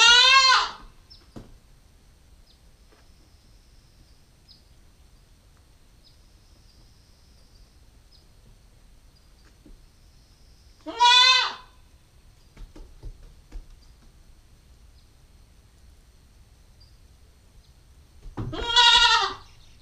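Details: A female Nubian goat kid nine weeks old, on a GoPro stakeout, gives three short, quavering bleats spread across twenty seconds, each rising then falling, with long quiet gaps and faint rustling between.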